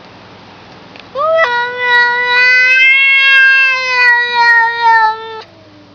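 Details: Pet cat, presented as a talking cat, lets out one loud, prolonged meow lasting about four seconds. It opens with a quick upward slide, then holds a rich, steady tone with slight wobbles before ending sharply. A quiet room surrounds it.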